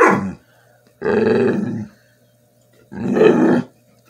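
A Bull Terrier grumbles and moans in three drawn-out, throaty bursts, 'talking' to beg for food.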